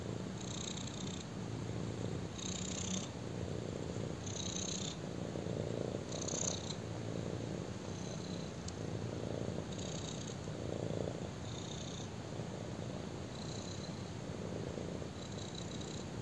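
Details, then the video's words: Black kitten resting on a person and purring; a low rumbling drone pulsing with each breath, about eight breath cycles heard, each marked by a brief soft hiss higher up. "BLACK KITTEN PURRS WHILE LYING ON ME!"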